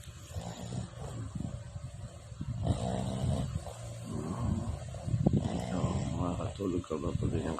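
A Boston Terrier snores loudly, each breath a low, throaty rattle with a nasal buzz. The snores build in heavy bursts and then ease off, in an uneven, sleepy rhythm.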